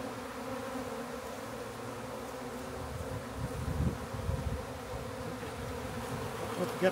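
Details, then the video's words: Backyard honey bee swarm during capture into a new hive; constant humming buzz with low thumps and handling noises in the middle and a sharp knock at the end. "Country Man Captures Massive Honey Bee Swarm!"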